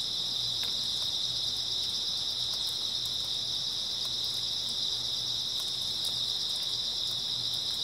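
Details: Steady high chirping of numerous grass insects during an early autumn night, one constant trilled band, occasional light ticks and a pulsing faint low hum behind it.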